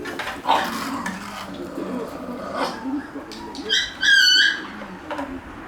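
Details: Shiba Inu puppies playing chase; brief soft yelps early on, then a drawn-out high squealing whine near the end, with light scuffling and quiet human voices in the background.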